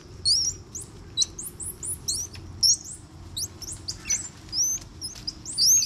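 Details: Bolivian squirrel monkey youngsters aged one to two, wrestling playfully in a group at Ishigaki Yaima Village, Ishigaki Island, Japan; rapid high-pitched twittering chirps with quick rising and falling sweeps, several per second, above faint low rumble.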